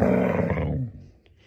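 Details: Reese, a female pet dog returning to her normal personality, grumbles back while being scolded at home: a harsh, low, growling vocalization lasting under a second, loud at first, then fading into near silence.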